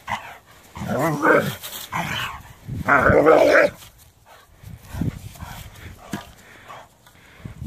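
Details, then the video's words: Doberman objecting to a rake: a few loud, rough barks and growl-barks in the first four seconds, followed by softer scuffling and faint low sounds. "Doberman has a problem with a rake / Доберману не нравятся грабли"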